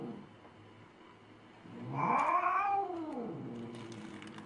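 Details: Angry cat voicing a single arched, whining yowl that swells and falls over about a second, over steady low room hum, with faint ticking afterwards.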